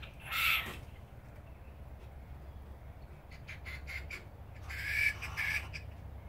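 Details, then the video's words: Young common brushtail possum joeys screaming at each other: a short harsh screech, then quiet scratchy rasps, then another pair of loud grating shrieks. "Possum Screamfest"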